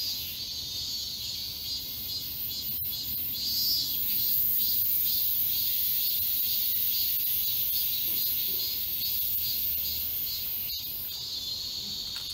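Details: A dense summer chorus of cicadas in the forest of Galsan Park, Yangcheon-gu, Seoul, fills the air with a steady, high, shimmering buzz.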